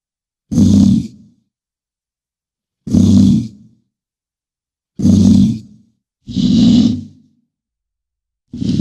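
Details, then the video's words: Bison bellowing, deep low roaring grunts with a rasping breathy edge, five separate calls each lasting about a second, spaced roughly two seconds apart, no other sounds. "BISON SOUND"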